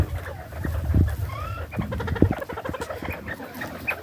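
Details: Homestead bobwhite quail eating spring mix lettuce give a happy chatter: quick stacked clucking notes, one clear upward-sliding whistle near the start, then rapid twittering bursts over low knocking and handling noise.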